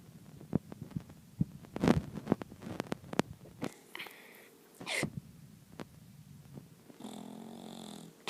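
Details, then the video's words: A bulldog snoring in the morning, rough rattling breaths and snorts coming in uneven bursts, with a louder wheezing snort near the middle and a steadier hissing breath at the end. "Boss The Snoring Bulldog"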